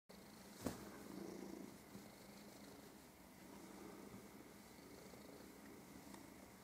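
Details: A cat playing on its favourite spot, the bed, as if fighting an invisible enemy; a soft, steady low purr runs throughout, opening with one sharp knock, in a quiet indoor room.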